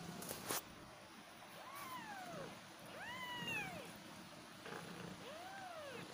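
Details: Cat kittens meowing: three arched, rising-then-falling mews about a second apart, soft and high, over a faint steady background hiss with a brief click near the start.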